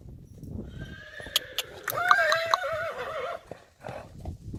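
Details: Friesian horse colt, three years old, playing outside; one loud neigh lasting about two seconds, a wavering harmonic tone that shakes near its end, framed by sharp knocks and hoof sounds before and after.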